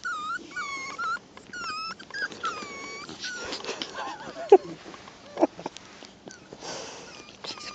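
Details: Whining miniature schnauzer puppies give clear, high-pitched whimpers that dip and rise, short bursts coming several per second at the start, then fainter scattered squeaks and shuffling noises later.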